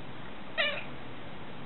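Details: A pet cat talking back to its owner indoors, giving one short, bright meow of about a quarter second against a steady hiss.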